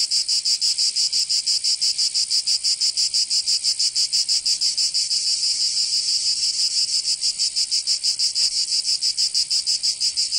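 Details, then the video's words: Provençal summer cicada chorus from southern France: a bright, piercing buzz beating in fast, very regular pulses, about three per second, loud and unbroken. "Canto Cigarra 🦗 [ Escuchar les cigarras en verano"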